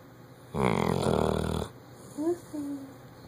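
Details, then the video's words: Sleeping Bloodhound giving a loud snore: one deep, buzzy, rattling breath of about a second, then a few brief higher squeaky sounds and a quiet human voice over a low room hum. "Bloodhound snoring loud"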